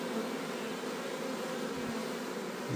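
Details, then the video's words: Honey bee swarm being moved into a box borrowed from a neighbour: a dense, steady, continuous buzzing hum with no breaks, holding even throughout and swelling slightly at the very end. "Bites jurģojas / Moving a beeswarm"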